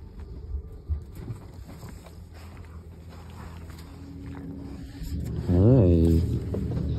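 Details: Two Rottweilers, Bear and Luna, squabble over attention while their owners lie in bed. A low, steady rumbling growl runs throughout. Near the end comes a louder wavering, rising-and-falling vocal sound, with a person speaking nearby.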